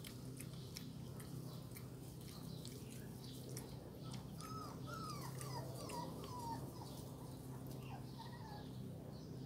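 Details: Dalmatian puppies drinking from a bowl give a run of short, high, down-slurred whimpers between about four and seven seconds, over a steady low hum with faint clicks and ticks.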